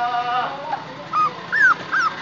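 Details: Puppy giving short high whimpers, each a rising then falling whine about half a second long, three in quick succession after a longer thin tone, indoors in a quiet room.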